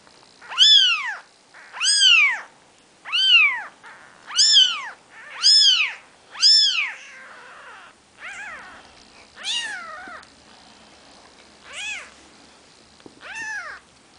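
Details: Newborn Maine Coon kittens, four days old, with mother Nikita: six loud arched mews in quick succession, then softer, more scattered cries fading over the remaining seconds.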